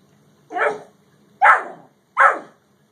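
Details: A Great Dane and a Yellow Lab, with three deep, punchy barks spaced roughly three-quarters of a second apart against a quiet background.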